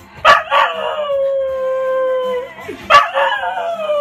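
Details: English Cocker Spaniel singing along to a favourite Ukrainian R&B song: a long, steady, drawn-out howl held for about two seconds. Short sharp yelping bursts open it, another rises near the end, and faint music sits underneath.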